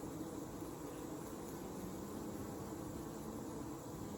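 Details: Honey bee hive at Cooper Family Farms, Alexander County, North Carolina, on a hot summer evening, 8 August 2020: a dense, steady low hum of many bees, unbroken throughout, with a faint hiss above.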